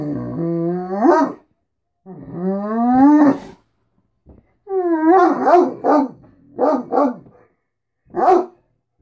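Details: Morning talking from a Great Dane demanding food and attention: rising, yodel-like whines sweeping upward, followed by a run of short choppy yowls and a final brief yelp.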